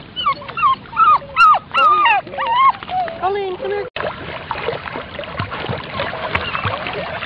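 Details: German Shorthaired Pointer puppies at the water: a quick run of high, wavering, bending whimpers over the first four seconds, then splashing water and people talking over steady background noise.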